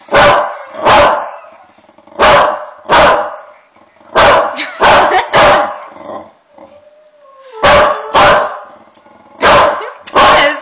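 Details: Pet dog barking angrily in reaction to friendly dog noises played to it; about a dozen loud, harsh barks come in quick pairs and short bursts, with a brief rising whine between them midway.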